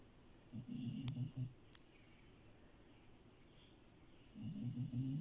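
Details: Sleeping French Bulldog Milo, a female who crashed the bed, gives two low, rattling snores about three seconds apart, each a buzzing, pulsed rumble lasting around a second. The room is otherwise quiet.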